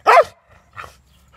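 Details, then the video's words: Tyson, an angry German Shepherd who won't let anyone take his ball, gives one sharp loud bark followed by a softer, shorter second bark. "Angry german shepherd Tyson | Never allows to take the ball from him"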